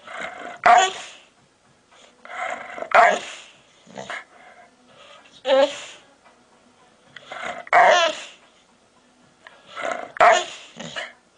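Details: A big Pit Bull gives odd, funny-sounding, drawn-out, hoarse barks, each burst roughly two to three seconds apart.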